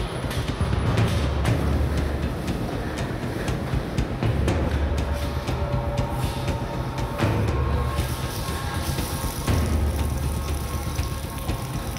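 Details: Dense, rattling machinery noise with a low rumble and rapid clatter runs throughout, along with faint music and no clear animal voices.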